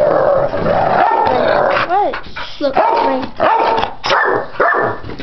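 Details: Ten-year-old pit bull Chomper and ten-week-old puppy Stella playing together, not fighting. Sustained growling and rough barks run almost without pause, broken by short rising and falling whines and yelps.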